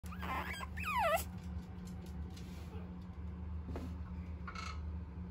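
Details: Large fawn male puppy offered by a breeder; two high whining yelps early on, the second sliding down in pitch, then a fainter whimper later, over a steady low hum of room noise.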